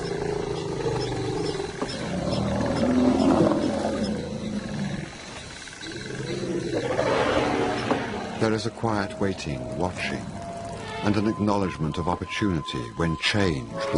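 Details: African lion of a pride, wild: two deep, rasping roars swell and fade, the first peaking near three seconds and the second near seven, before a narrator's voice takes over with faint background music.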